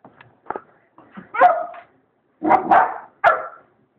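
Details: Irish Wolfhound puppy barking at a cat eating from its bowl, wanting the cat to leave; soft yips build into three loud, rough barks spaced under a second apart.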